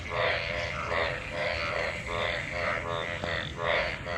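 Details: Crowd of mating frogs in rain-gathered water after monsoon rain; steady throbbing croaks pulse about twice a second over a continuous chorus of other callers.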